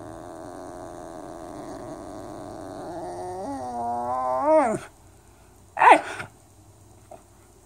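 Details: Whippet Holly, playing with her baby or toys, makes a wavering, nasal moan that climbs in pitch and loudness and then breaks off. A brief sharp squeaky yelp follows about a second later.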